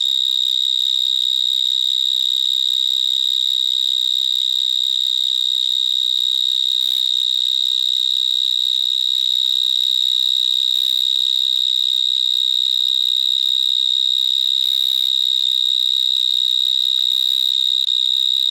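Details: Stridulating vineyard mole crickets calling from small holes in the ground of a vineyard in Gironde, France, very loud. A sustained, shrill, steady trill runs for the whole stretch without pause, with a few brief rustles.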